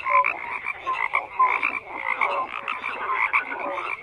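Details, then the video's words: Many frogs croaking together in a thick, buzzy chorus, with brief tonal chirps poking out every half second or so over constant layered calling. "FROGS CROAKING"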